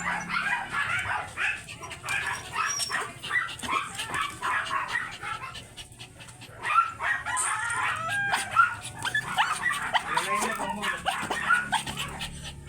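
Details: Kennel-kept teacup import-line Pomeranian dogs at stud service letting out sharp, high yaps and yips in busy bursts, easing briefly near the middle before the shrill barking picks up again, with a low hum beneath.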